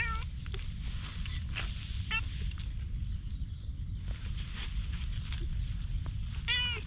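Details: Wary stray cat outdoors near a bench: a few brief, soft meows, one early, one around the middle and a slightly longer one at the end, over constant low background rumble.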